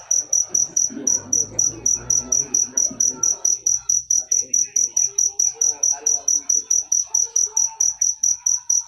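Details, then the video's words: High, piercing cricket chirps pulse at a quick, regular pace, about three to four a second, accompanied by muffled voices early on and quieter background noise later. "Full suara Jangkrik manis. Suara merdu"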